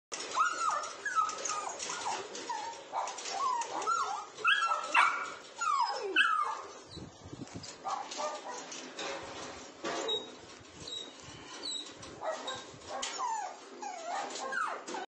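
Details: Bernese Mountain Dog puppies in India giving repeated high whining yelps and squeaky whimpers, many short sliding cries overlapping, with a brief lower rumbling pause midway.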